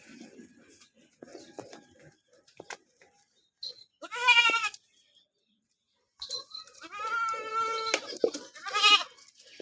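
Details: Goat kid bleating while being bathed after its mother: one loud nasal, harmonic bleat, then a longer wavering bleat a second later, with people talking softly.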